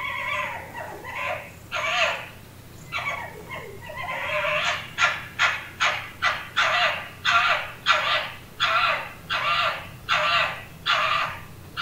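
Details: Red fox mating calls or quarrel sounds: harsh, raspy barks and screams, a run of about a dozen loud calls roughly once a second, with a rougher, more drawn-out start.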